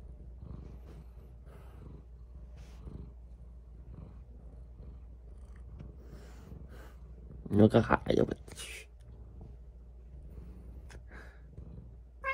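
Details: A cat purring while kissing a person indoors: a low, steady rumble runs throughout, with a brief burst of loud human exclamations near the middle and softer voices scattered around it.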